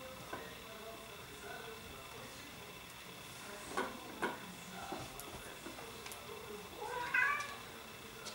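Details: Bengal cats in an indoor cattery family group; a short, quiet stretch of light clicks and soft knocks, then a brief, clear meow near the end with a slightly rising, harmonic tone, with faint room noise throughout.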